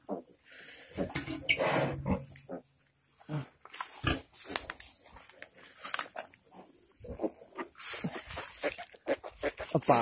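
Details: Pig giving birth, recorded 28 July 2020, utters scattered low grunts and snorts amid clattering knocks, while people talk in Spanish nearby.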